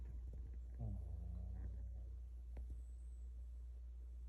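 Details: A Shih Tzu, relaxed at home and possibly dreaming, gives a deep, rumbling snore with a short, buzzy, slightly falling nasal tone partway through, over a steady low background hum.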